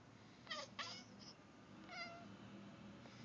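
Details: Female Turkish Van cat chattering at a bird seen outside the window indoors: two quick clipped harmonic bursts close together, a fainter third, then a short wavering, trill-like chirp; quiet room background.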